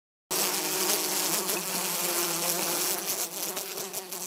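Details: Drone fly, a hoverfly and honey bee mimic; a continuous low, even buzz with a steady hum and a broad hiss above, holding level for about four seconds.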